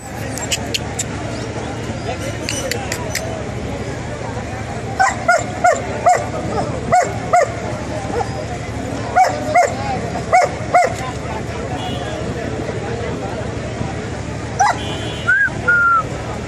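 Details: Puppies at Tongi bird market on a Sunday, a German Shepherd cross and a Pomeranian; a puppy gives a run of short, high yapping barks about a second apart over a busy background of crowd chatter and people talking.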